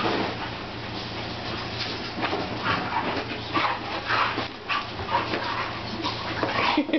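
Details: Navarre and Holly, two pet dogs, romping with each other indoors in a living room; a continuous rough scuffle of snorts, huffs and short yips, with faint music behind.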